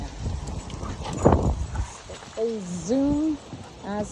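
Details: Alaskan Malamutes Fish, Sojou and Dotty in full zoomies and play-fighting, excited by strong wind blowing up their tails; drawn-out, wavering howl-like moans rising and falling, with a shorter yelp at the end, over heavy wind rumble and a person's voice.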